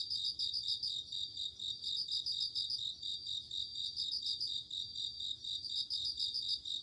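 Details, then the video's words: Crickets chirping on an autumn night, a ringing, high, bell-like trill pulsing in quick repeated bursts with a steady dense insect chorus underneath and no other clear sounds. "鈴虫 夜の虫 虫が鳴く夜の雰囲気 コオロギ 秋"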